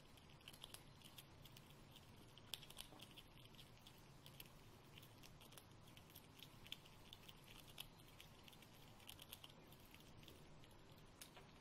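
A red squirrel chewing, with quick, dry crackles and clicks over a soft, steady hum.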